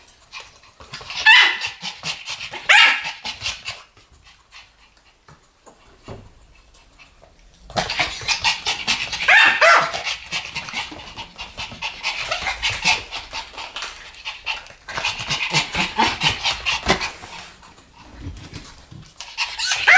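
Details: Two Pomeranians barking together, sharp high-pitched yaps in quick bursts, a brief silent pause, then a long stretch of continuous rapid barking with overlapping yips.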